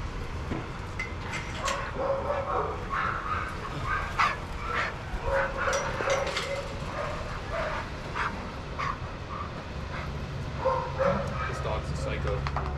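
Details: Several dogs playing and socialising in a supervised shelter yard; scattered short barks and yips rise over a steady low rumble of background noise, with overlapping voices from the pack throughout.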